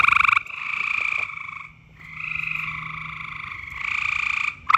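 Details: Loud frog calling in mating season, long drawn-out buzzy trills blending into an almost continuous chorus, with a faint low hum running beneath part of it and a brief lull in the middle.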